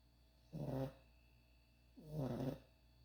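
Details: Sleeping puppy snoring: two low, rough breaths about a second and a half apart, each lasting roughly half a second, in a quiet room.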